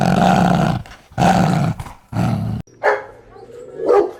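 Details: Dog from a compilation of many breeds, large and small: three long, deep rough barks or growling roars, then softer, higher yelps near the end.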